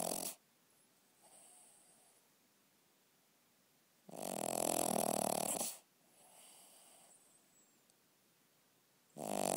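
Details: Snoring dog at night, indoors: one full, harsh, rumbling snore lasting under two seconds, framed by partial snores at the start and end, with soft wheezy exhalations in the quiet gaps.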